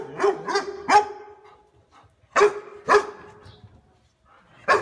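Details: Dog barking, described as loud, warm and powerful, as a house guard should: three quick deep barks, a pause, two more, then a final bark after a quiet gap.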